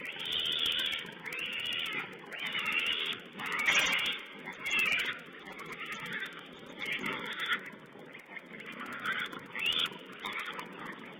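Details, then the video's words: Wild boar piglets squeal on a wild pig cam, 16 April 2010, in rhythmic harsh bursts about once a second, each a scratchy high-pitched cry over a murmur of lower grunts. "Wild Pig Cam2: Little piglets"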